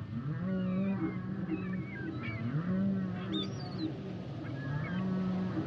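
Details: Humpback whale song: long, level, low tonal moans with rich overtones, repeated every two seconds or so, mixed with brief high chirps and squeals above a steady low underwater hiss.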